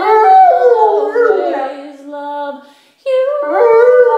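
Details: Pet Rottweiler howling aloud as it sings along with its owners: long wavering tones that slide and bend, fading out near three seconds before a fresh, steadier howl starts up again.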